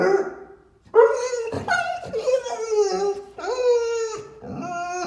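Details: Female American Staffordshire Terrier in an excited state, producing long, high, tonal whines that waver and slide downward, broken by short yelps, almost continuous across the clip.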